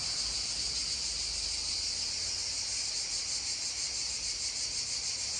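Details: Cicadas drone in a steady, high, shimmering buzz that barely changes, beside a babbling stream.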